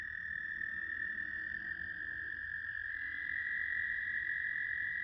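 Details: Several American toads trilling at South Point in Huron, Ohio, 10 May 2022: continuous ringing trills at nearly the same pitch, one voice stepping slightly higher and louder after three seconds.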